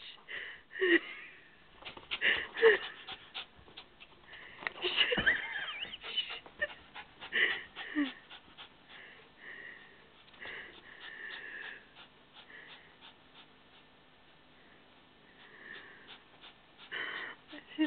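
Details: Pet dog Nala, desperate to reach a gerbil, snorts, wheezes and pants in uneven bursts, with thin whining tones and a person speaking now and then.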